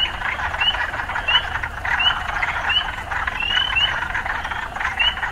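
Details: Croaking frogs near city life form a constant buzzing chorus, punctuated by bright rising chirps every half second to second, one drawn into a longer slide.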